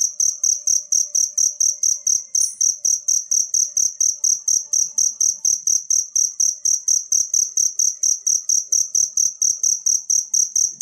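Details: Natural cricket sound, offered as tutoring audio for songbirds: a steady, high, ringing chirp repeated about four times a second with even rhythm throughout, with faint low thumping pulses underneath and no other animals.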